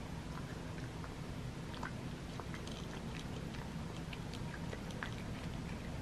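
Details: Butters, a male cat, eating his crunchies indoors: soft, irregular crunching clicks scattered throughout, with a low steady background rumble.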